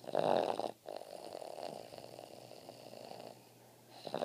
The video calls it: Boston Terrier Gretzky Snoring